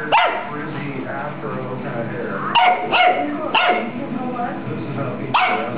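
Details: Pug dog giving short, sharp bark-like yelps at irregular intervals, several close together near the middle, over steady background music.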